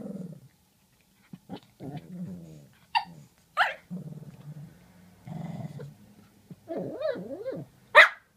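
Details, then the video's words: Murph and Maverick, two dogs, grumble at each other with low growls and wavering whiny moans, broken by a few short barks and ending on one loud sharp bark. "Two dogs talking!"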